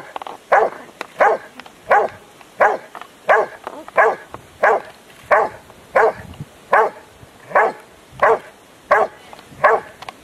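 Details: Huck dei Re Magi, a Rottweiler tested in IPO3 section C at the Rottweiler Club Italiano trial in Rome on 18 November 2012, barks steadily: strong, even barks about every 0.7 seconds with little else audible.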